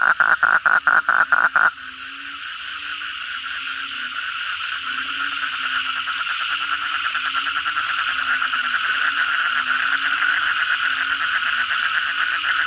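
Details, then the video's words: Asian common toads (kodok bangkong) calling busily at night after heavy rain: a loud, rapidly pulsed trill opens, then a dense, steady chorus of buzzy pulsed calls builds and swells beneath it. "suara kodok bangkong pada gacor setelah hujan lebat malam hari"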